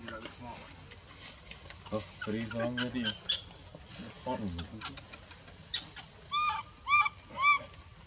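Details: Crying of a baby monkey rejected from nursing by her mother, Bayon area: three high, wavering whimpers repeated roughly every half second near the end, after stretches of human talk and clicks.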